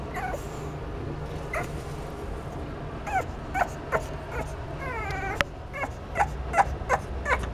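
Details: Boston terrier puppies making scattered short whines and yips, one longer falling whimper in the middle, with a sharp click and a constant low hum underneath.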